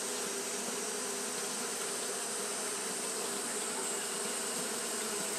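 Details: A mass of Japanese honey bees fanning in the heat gives an unwavering buzzing drone, low hum lines under a broad hissing wash, with no breaks or changes in loudness.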